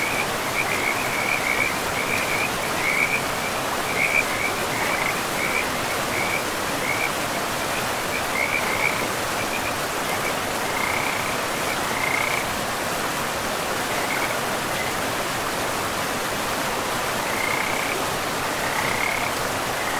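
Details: Frog chorus beside a forest river: short, broken high trills come and go, thicker in the first twelve seconds and again near the end, half buried in the steady roar of running water.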